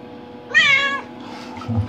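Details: Indoor adopted cat aged five years eight months, curious in a bathroom near the bathtub, gives one clear, bright half-second meow rising then falling, with a low hum behind it.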